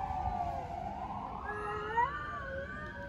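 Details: Stray cats in Istanbul in a territorial standoff, giving a long, steady yowl that swells and rises in pitch, with a second voice sliding upward beneath it, over faint low street noise.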